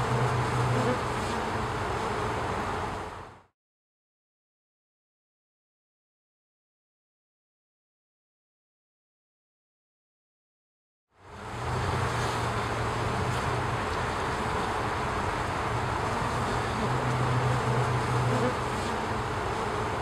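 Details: Honey bee forager waggle dancing to share a good nectar or pollen source with her nestmates; a constant hive drone broken by short low buzzing bursts, interrupted by a long silent gap.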